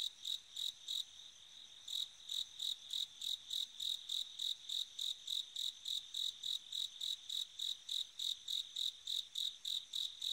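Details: A bell cricket on an autumn night gives clear, high, ringing chirps, repeated steadily about three times a second.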